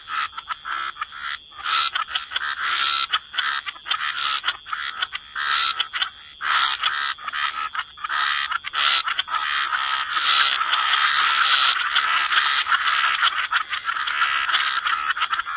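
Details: Wetland frog chorus at the waterside: many frogs croak at once in dense, overlapping rasping pulses that build into an almost continuous buzzing wash toward the end, over a constant thin high-pitched hiss.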